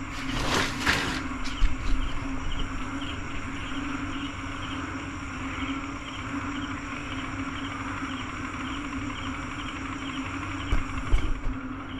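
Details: A dense night chorus of possibly thousands of frogs with crickets, after heavy rain in Iloilo, Philippines, sometime after eight o'clock, merges into a steady, motor-like drone mistaken for a car.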